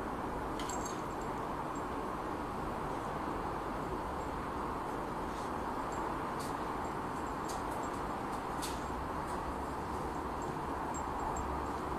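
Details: Even broadband rumble like distant traffic with a few faint high ticks, and no animal call.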